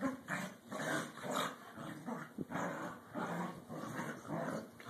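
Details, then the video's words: Pair of corgis at play, competing for dominance indoors: continuous rumbling growls in short overlapping bursts, several per second, mixed with snuffling and the rustle of bodies tussling. "Corgi Play Time"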